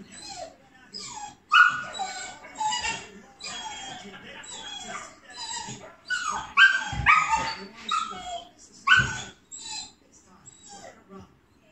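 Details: Border Collie dog watching an agility championship on television, giving high whining cries and short sharp barks in bursts, louder around two and seven to nine seconds, mixed with sounds from the television broadcast.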